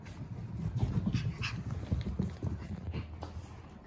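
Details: A Boston Terrier pants quickly and steadily: soft, low, breathy puffs follow one another several times a second, quiet and close, with no other clear sounds.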